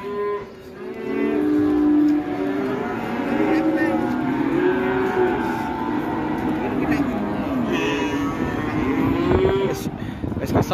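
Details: Cattle turned loose and raging as an elderly handler is scolded by a trader. Drawn-out, low, level moos follow one another almost without pause for ten seconds, with people calling warnings in the background.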